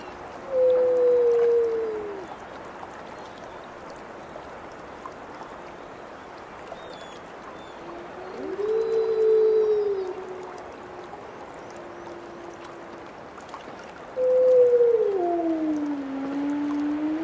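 A wolf gives long, smooth, low howls, each held steady for a second or two before sliding down.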